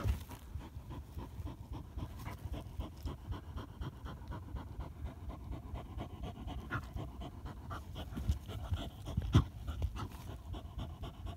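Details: Dense, steady panting from a German Hunting Terrier on a badger hunt. Fast low puffs run without pause under light rustling, with a single sharp knock near the close.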